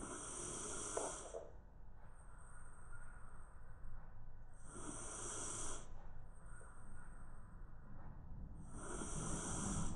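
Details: Round-bodied Shiba Inu sleeping on the floor through a midday nap, snoring loudly and rhythmically: three rough, rattling inhalations about four seconds apart, each trailing into a faint hiss, with low steady background noise.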